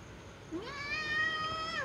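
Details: A pet cat gives a single drawn-out meow of about one second. It is rich in harmonics, rises at the onset, holds steady, then drops at the end. Background is quiet, with a person coaxing before and after.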